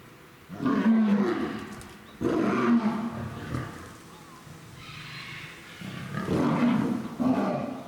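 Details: Captive lioness at Tobe Zoo, Japan, threatening a male lion on 11 January 2023; the male does not retaliate much. Three loud, rough growling roars with deep harmonic bands, each about one to one and a half seconds, separated by quieter gaps.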